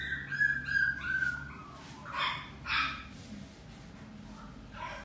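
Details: A Scottish Fold kitten at a pet shop gives a thin, high mew that slides downward, followed by a couple of softer cries.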